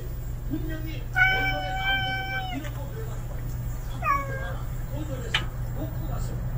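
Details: Unfamiliar male street cat, newly appeared, gives one long, steady, high meow of over a second, then a shorter meow that falls in pitch, over a faint constant hum and a sharp click.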